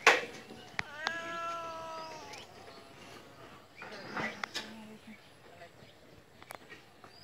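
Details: A single clear, slightly descending cat meow early on, followed by softer indistinct sounds, knocks and a brief tone against a steady hiss.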